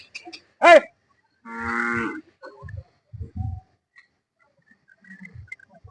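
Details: Hallikar cattle at the Sunday cattle market in Jodugatte. One drawn-out, steady moo lasting under a second follows a brief sharp cry, and men talk nearby before and after.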